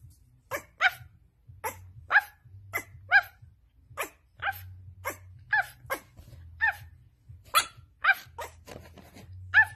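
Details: Pit bull, a playful pet, barking in a steady series of short, sharp barks, some paired, repeated roughly every half second to second throughout, with a faint low hum beneath.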